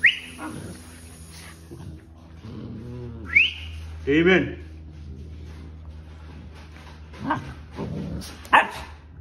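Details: Two sibling puppies, Damon and Bonnie, at play: brief high rising yelps and whimpers near the middle and end, with a person talking and calling their names throughout.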